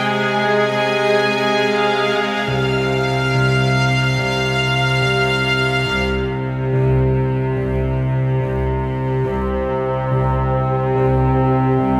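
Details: Slow, sad organ-like background music with sustained chords and a soft pulsing beat, with no animal sounds.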